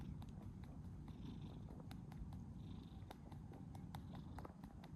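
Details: A stray tortoiseshell cat freezes in place when approached, purring: a steady low rumble runs throughout, with faint clicks and a soft hiss of outdoor background noise.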